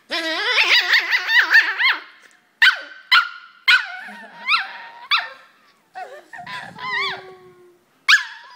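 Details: Poodle in China, shown as a two-headed dog that keeps annoying itself, gives a rapid run of high, wavering yips for two seconds, then sharp single barks and whiny yelps spaced about half a second to a second apart.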